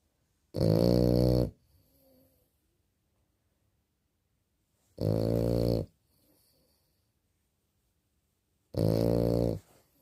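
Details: A small French Bulldog snores while asleep, taking heavy, rattling, low breaths about a second long, roughly every four seconds at a slow, steady pace, with quiet gaps between them.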